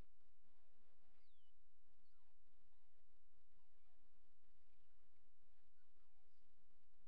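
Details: Tiny squeaks and short descending whines from very young male coyote pups that have only begun walking and opening their eyes, scattered quickly across the recording over a faint low hum.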